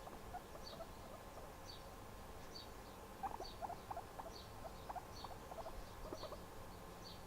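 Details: Guinea pig making noise while relaxing: brief, thin squeaks scattered early, then quicker, denser bursts of short squeaks in the second half, over a quiet, even room hum.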